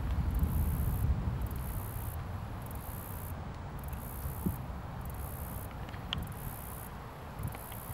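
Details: Close view of a cricket on a leaf outdoors, giving high thin pulsed chirps in regular bursts about once a second, partly masked by a low rumbling hum like distant traffic and a few faint clicks.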